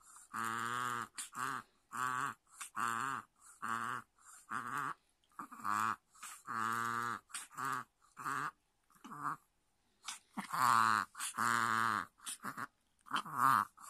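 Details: A Chihuahua gives a reverse sneeze, a rapid run of honking, snorting gasps about twice a second, "boo-boo" then "keh", when excited before treats, meals or play, almost daily, several times; cause unknown.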